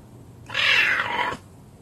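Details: Caracal hissing: one loud, breathy burst of broadband hiss lasting under a second, rising sharply and cutting off abruptly, with quiet room background before and after.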